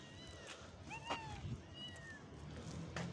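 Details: Kittens that have stayed small: two thin, high meows, the first bending up then down, the second sliding downward, over a steady low background hum.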